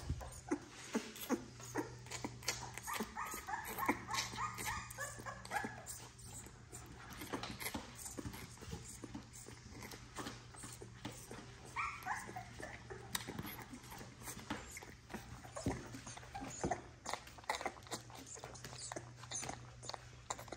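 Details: XL American Bully puppies, part of a litter of ten, being bottle fed to help their mother; thin, wavering whimpers rise around the third and twelfth seconds over steady sucking clicks and handling noise, with a low hum throughout.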